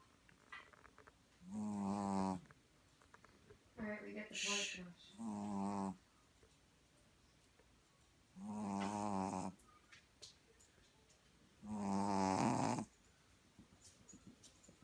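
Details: A puppy that has fallen asleep snores loudly: five rasping, buzzy, low snores, each lasting about a second, coming every three to four seconds with quiet breaths between, one snore broken into a stuttering double burst.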